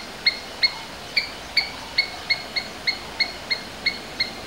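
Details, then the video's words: Domestic Asian palm squirrel giving sharp, high chips with a bright overtone, about a dozen evenly spaced over four seconds, each a short clipped note with a slight downward flick, over a quiet background hiss. "Domestic Squirrels Sounds various versions | Asian Palm Squirrels"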